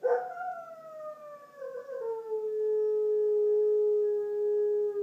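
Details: Bandit, a Border Collie, howls in reaction to a tornado siren test, echoing the siren: one long, sustained tonal wail with rich overtones, sliding slowly downward and then holding steady for about five seconds.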